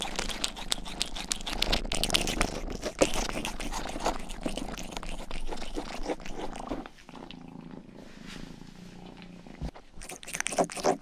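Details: Rang-i, the youngest pet cat, purring indoors while licking and grooming ears for an ASMR recording; a low steady rumble sits under dense wet licking clicks, with a quieter stretch near the end.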